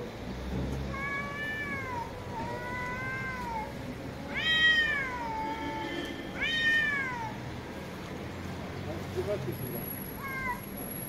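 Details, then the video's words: Domestic cat meows over a steady noisy background: drawn-out, gently arching cries, two softer ones early, then two louder rising-falling meows around the middle and a short one near the end, with a thin high whine. "CAT MEOWING SOUNDS"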